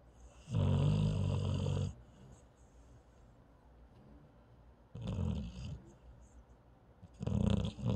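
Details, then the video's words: A paralyzed dog sleeping and snoring: deep, rasping inhalations of about a second and a half, spaced a few seconds apart, with quiet breathing between them in a small indoor room. "Cute Snore from a cute paralyzed dog"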